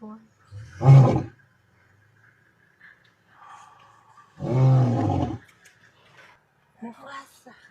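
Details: Lion. Two powerful, low, throaty roars rumble out from a lion, each lasting about a second and rich in gravelly overtones. Quiet human voices and an exclamation can be heard in the pauses and at the end.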